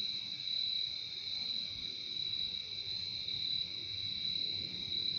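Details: Steady insect shrilling from crickets in a nature recording, a bright high trill paired with a lower tone, running on evenly with no gaps, faint low background noise below.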